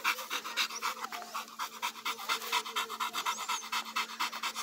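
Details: Blue Brazilian Pit Monster puppy during sit training, panting fast in steady breathy pulses about twice a second, with a person giving commands in Portuguese around it.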